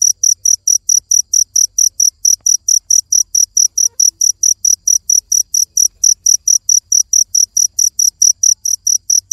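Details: Cricket chirping steadily, sharp high-pitched pulses repeated about four times a second in an even run, with a faint low rumble beneath.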